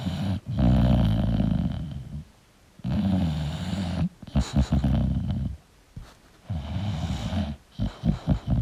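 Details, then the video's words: A snoring English bulldog in deep sleep, drawing heavy, buzzing low breaths in long rattling bursts, some ending in short snorts, with quiet spells between. "English Bulldog Sleeping & Snoring Sound"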